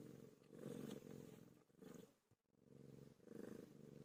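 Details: Pet cat Pilo during birth, purring steadily: a low, throbbing, rhythmic rumble that swells and fades with each breath, dipping into a brief lull at the midpoint before resuming.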